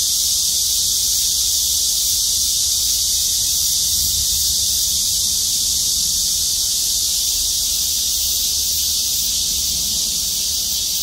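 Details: Cicadas sing in chorus from trees in the parking lot of Gwangmyeong City Hall, South Korea: a dense, unbroken high hiss that holds steady for the whole stretch with no clear gaps.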